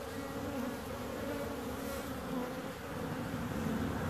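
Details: Steady buzzing of bees, a low continuous drone holding an even hum across the whole stretch, with slight swells in loudness midway and toward the end.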